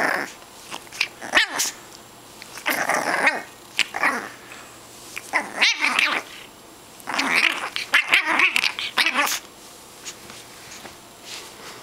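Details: Tug, a pet dog, growls in a small indoor room, sounding like a gremlin: gravelly, whiny rasps rising and falling in uneven bursts of one to two seconds, mixed with a few sharp clicks and soft thuds.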